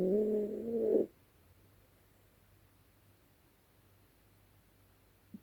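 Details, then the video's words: Nighttime snore from Dezi, a Yorkshire Terrier fast asleep: a single one-second, nasal, harmonic rasp, followed by several seconds of quiet and a faint click at the end. "Дикий ночной храп!"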